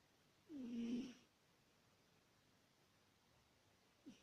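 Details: Adult female British Shorthair cat sleeping and snoring: one drawn-out, low, hoarse snore with a faintly whistling edge, followed by silence and the start of another breath.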